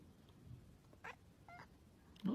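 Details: Stray cat living on the street gives short mewing calls, one brief wavering meow then a shorter harmonic-rich mew, with soft background noise and a louder sound at the end.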